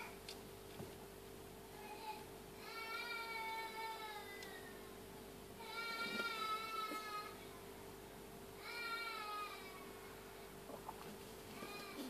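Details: Tabby cat giving birth to her second kitten, indoors: long, steady, drawn-out wailing calls with rich harmonics, about three seconds each, repeated roughly every three seconds, with a constant low electrical hum underneath.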